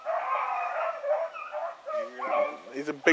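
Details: On the evening of 19 November 2014, a hound running game near a lake bays in long, drawn-out, booming tones, with a man talking over it.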